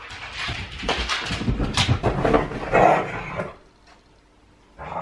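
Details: Huskies wrestling in play indoors, looking like fighting but only playing; rough growling and scuffling bursts for about three and a half seconds, then near quiet before a short noise at the end.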